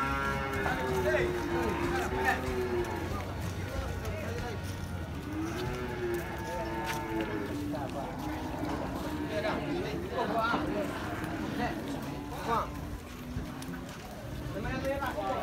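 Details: Cattle at Muaro Paneh, the largest livestock market in West Sumatra, where many breeds are sold: two long, low, drawn-out moos, one at the start and another a few seconds later, over steady crowd chatter and voices.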